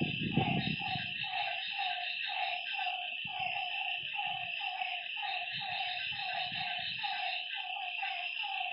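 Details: Frogs by a lake at night croaking in rapid repeated notes, with an unbroken high insect whine and scattered low thumps and rumbles, loudest at the start.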